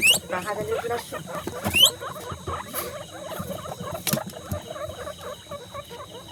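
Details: Guinea pig at a birthday celebration, giving a dense run of short squeaks and chattering notes, with two quick rising whistled sweeps near the start and again before two seconds; a person speaks in Bengali over the squeaking.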